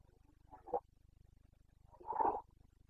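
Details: Carpathian red deer stag in the Bucovina mountains during the breeding season, 29 September 2022: two short, grunting roars, the second longer and louder, over a steady low rhythmic hum.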